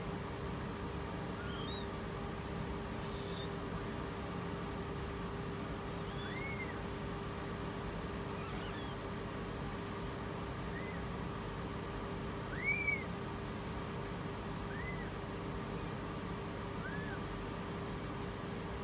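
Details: A British Shorthair queen in labour, giving birth, gives faint, arched mews that rise and fall about every two seconds, with a few thin, high chirps between, over a constant electrical hum and low background noise.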